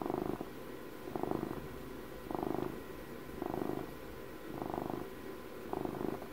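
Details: Purring of a twelve-year-old house cat recorded for ASMR: a soft, low buzzy rumble pulsing six times, roughly once per second, with quieter dips between breaths and no other sounds.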